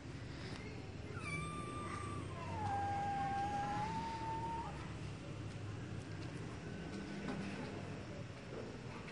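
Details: A cat gives one long drawn-out meow, starting higher then sliding down and holding a steady, slightly wavering tone for about three seconds, over a constant low background hum.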